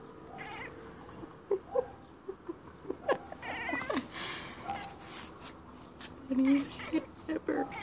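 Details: An indoor female Siamese cat chatters in quick, clipped bursts at birds across the yard, with a person speaking briefly.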